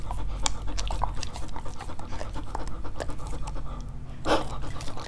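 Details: Dogs trying to eat various fruits, recorded close up: quick breathy panting mixed with dense wet clicks of licking and chewing, one louder smacking burst near the end.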